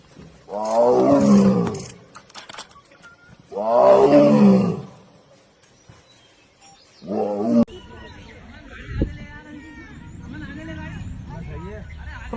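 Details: A tiger in Jim Corbett National Park gives deep, rasping roars, each about two seconds long, with a man talking afterwards.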